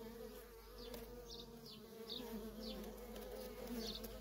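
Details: Busy entrance of a wild feral honey bee colony, worker bees coming and going: continuous layered humming plus frequent short whizzing passes of single bees, about one every half second.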